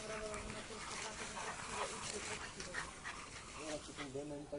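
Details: An English Bulldog playing and fighting with a French Bulldog gives rough grumbling growls and short whiny yelps while people talk nearby.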